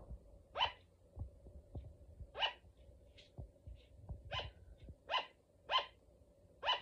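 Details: A female pet sugar glider (Petaurus breviceps) gives sharp, high yapping barks, repeated at uneven intervals of about a second.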